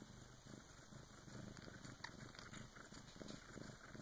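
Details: Bengal cat Karma, birthing her first kitten with her big sister's help, gives a soft, uneven low purr, blurred by small rustling and clicking sounds near the middle.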